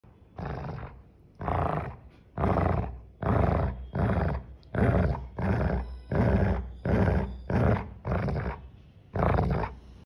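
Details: Golden Retriever dog growling angrily when its owner touches its pug soft toy: a run of about eleven deep, rough growls, each roughly half a second long, spaced about a second apart, low and rumbling with a raspy edge.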